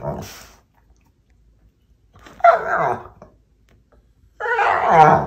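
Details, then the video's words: Lazy Labrador lying on a sofa indoors, complaining at another dog to fetch a ball for tug; harmonic whining yelps in three bursts, a short one at the start, then longer moaning vocalisations near two and a half and five seconds. "Laziest Labrador that you will ever see"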